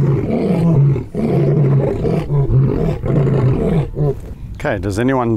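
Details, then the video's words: Lion grunting roars: a run of short, low, rhythmic grunts, ending with a brief higher wavering voice-like sound. "Best Lion Roars!"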